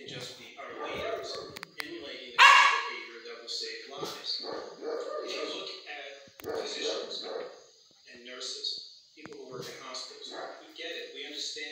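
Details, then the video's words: Xena, a pet dog indoors, barks at a woman's voice on CNN but stays quiet when men talk. Several sharp barks cut across steady TV news speech about masks and the pandemic. "Dog hates the lady on CNN."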